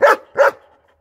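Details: Two loud, rough barks from a German Shepherd in quick succession, about a third of a second apart, the second trailing off into quiet.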